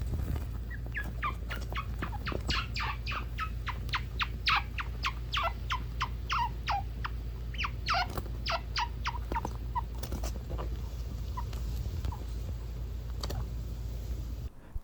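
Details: A chinchilla gives a quick run of high, squeaky chirps, the sound a baby chinchilla makes when pampered; adults sometimes make it when friends groom them, in a home with two parents and four sons.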